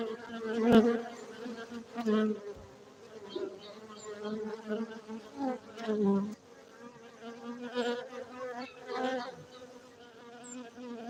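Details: Honey bees at a Gayo beekeeping apiary in Bener Meriah, Aceh, Indonesia: a steady low droning hum with rich overtones, swelling as single bees pass close by with louder buzzing bursts, then fading back to the background hum.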